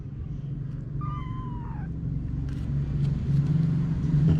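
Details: Domestic cats, mom Anna with her babies: one clear, high, falling meow early on, followed by a swelling low rumble like passing traffic for the rest of the clip.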